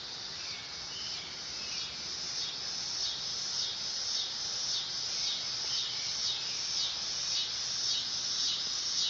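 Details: Dog-day cicada (Neotibicen canicularis) in summer: a continuous high, hissing drone that pulses roughly twice a second, swelling slightly in loudness toward the end.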